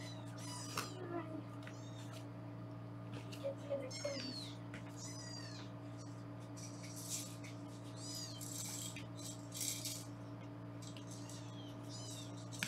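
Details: Foster kittens being weighed indoors in Los Angeles on a live kitten cam give frequent high-pitched, rising-then-falling mews in quick clusters, several overlapping, above a constant low hum and some rustling.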